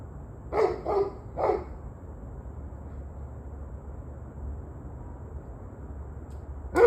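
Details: Three quick dog barks at the start, then a long quiet stretch of low rumbling background and one more bark at the very end; evening recording from 21 November 2023.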